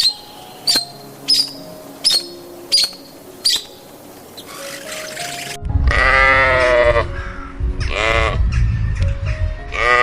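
A sheep gives two loud, wavering bleats over light background music with plucked notes.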